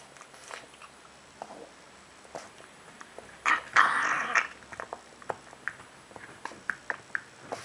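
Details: Pug named Bram eating indoors: a run of wet smacking and crunching clicks, several a second, broken midway by a loud snorting, snuffling burst of about a second before the quick chewing clicks resume.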